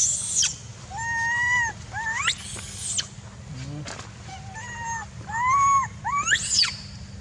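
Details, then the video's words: Jinx, a young macaque, cries and shouts near a stone as her angry mother weans her, in Angkor Archaeological Area near Siem Reap, Cambodia; drawn-out tonal wails with steep rising squeals, plus sharp high screams at the start and near the end. "Jinx Shout Cry Near Stone Angry Mother Weaning Her"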